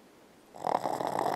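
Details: A dreaming, sleeping female Boston Terrier snores in quick, rough, fluttering pulses after a moment of silence.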